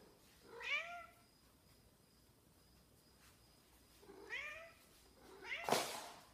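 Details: Indoor Snowshoe cat missing its owner gives three meows: two clear wavering harmonic cries three and a half seconds apart, then a louder, harsher one at the end.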